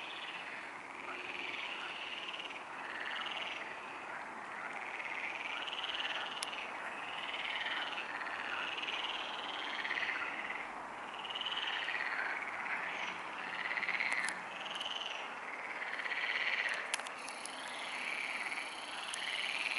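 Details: Frogs at the Neuer Teich pond at 23:27 on 28 May 2017, croaking together after dark. Rhythmic pulses of rattling calls overlap into a constant chorus with gentle swells, and a few sharp clicks occur around the middle and end.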